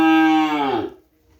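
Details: Bull-race breeding stock from Sapudi Island at a house: a single strong moo of about one second, full and steady, its pitch sagging as it ends, then quiet.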